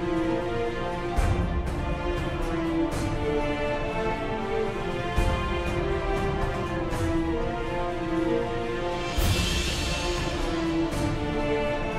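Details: Dark theme music with sustained tones, deep bass and occasional percussive hits plays throughout, with no animal calls.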